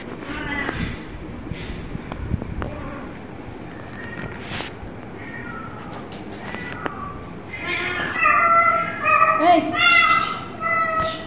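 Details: Kitten meowing: scattered faint cries early on, then a run of loud, high, clear meows packed closely together in the last few seconds, over a background of soft clicks and rustling.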